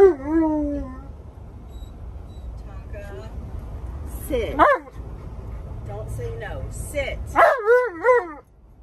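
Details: Alaskan Malamute Tonka complaining and arguing when asked to sit and wear his seatbelt; opens with a drawn-out falling woo, then a brief yelping burst midway and a wavering, talkative woo-woo at the end, over a steady low rumble.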